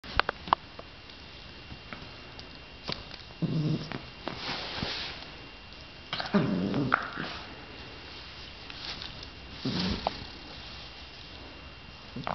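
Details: A beagle barks at a dead bee, giving a few low, muffled woofs with snuffling breaths in a quiet room.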